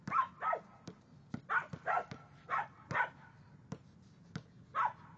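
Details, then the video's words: Honey, a six-month-old female Samoyed puppy, barks during a basketball game; a run of short, high yipping barks roughly every half second, with sharp knocks of the ball between them. "Samoyed dog "Honey" was playing basketball"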